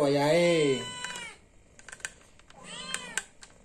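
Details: Hungry cat asking for food, two arched meows with a person speaking loudly at the start and scattered tapping clicks between the calls.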